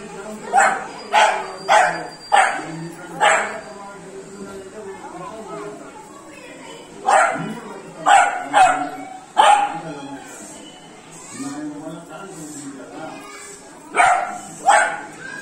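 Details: Three-month-old Beagle puppy playing with water and barking: sharp, bright barks in quick bursts of two to four, with pauses between groups, while people talk softly in the background.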